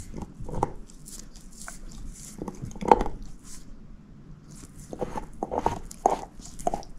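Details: Moose, a female shepherd mix, gnaws on a bone indoors in a quiet small room. Irregular crunches and sharp cracking bites come in bursts, with softer wet gnawing between them and no talking.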